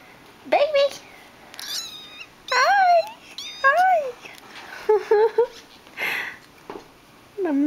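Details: Abandoned three-week-old kitten, found without its mother and hungry, meows repeatedly while learning to eat from a bowl: short, high, rising-then-falling cries every second or so, with a woman speaking softly between them.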